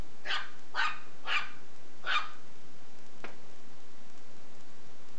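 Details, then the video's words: Shih Tzu puppy playing with a belt, giving four short, sharp, high yapping barks within about two seconds, then a single faint click and quiet. "ShihTzu puppy vs Belt"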